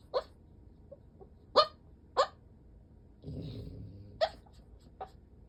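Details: Deeply asleep French Bulldog, eyes rolled back and legs sprawled open, giving brief hiccup-like yips and squeaks every second or so, with one soft rumbling snore between them.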